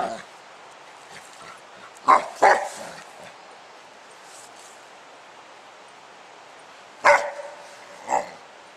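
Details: Dog named Spike playing with a 10 lb weight outside; two quick barks, a long quiet gap, then two more single barks, with a person's voice nearby.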